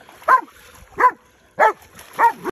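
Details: Belgian Malinois holding a hog at bay, giving four strong, ringing barks spaced roughly every 0.6 seconds, each short and slightly falling, over a quiet background.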